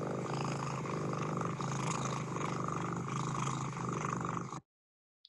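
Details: A domestic cat gives a non-solicitation purr, made while resting, lying on a lap or being stroked: a steady, slow, rhythmic rumble of contentment.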